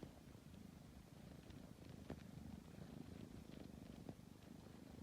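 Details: Sleepy tabby cat kneading and purring: a deep, pulsing, continuous rumble, slightly louder here, with a few faint clicks.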